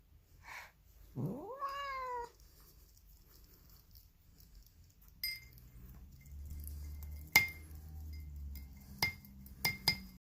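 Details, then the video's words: Female polydactyl cat Poly, whose odd voice is likened to Marge Simpson, lets out a single loud meow that climbs steeply then holds flat and rough, followed by a low hum and repeated ringing clinks. "Mutant Cat Makes Weird Cat Noises She Sounds Like Marge Simpson"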